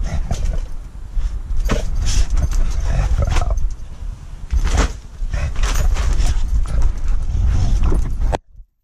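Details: Two dogs, a three-year-old female rescue pit bull named Bailey and her husky friend Darker, play chase in a backyard; rough, low growls and huffs come in irregular bursts over heavy low rumble and scuffling.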